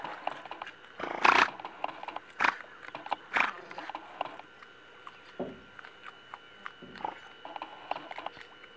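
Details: Giant otter in the Pantanal, Mato Grosso, Brazil, giving harsh, noisy bursts. Three loud ones come about a second apart, followed by softer, shorter ones, over a faint steady hum.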